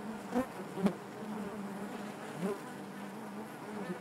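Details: Honey bees inside their hive, a steady low droning hum with a layered harmonic band, broken by a few brief louder buzzes as single bees pass close near the start.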